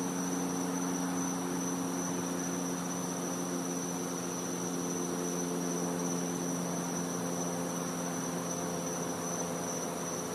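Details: Cicadas at night in a Florida back yard in winter, giving a steady high-pitched continuous whine, accompanied by a prominent low electrical hum with buzzy overtones and broad background hiss.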